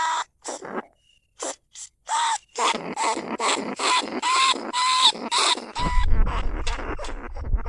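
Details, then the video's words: Caged lesser bandicoot rat calling, recorded live at Na Lao, Nong Khu Phai, as a lure to draw other rats out of their holes. Gasping squeaks, spaced at first, then a dense run of harsh chirps with whistled notes, ending over low rumbling noise. "เสียงต่อหนูพุกใหม่ล่าสุด หนูอีตั้นชุดที่2 ร้องเรียกหนูในกรงเพล็กดักหนู"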